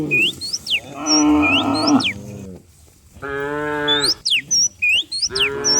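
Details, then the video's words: Herd of cows running down a rural hill in the morning, giving two long, strained moos about two seconds apart, each held steady before dropping off, with bright upward-sweeping bird chirps repeating throughout. "Herding dozens of cows down the hill every morning, cow sounds"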